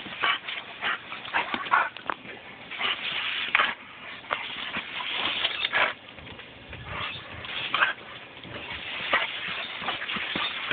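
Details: German Shepherd named Kaiser attacking and biting water from a garden hose, a favourite pastime. Steady hiss of spraying water throughout, broken by quick snaps and a few short high whimpers.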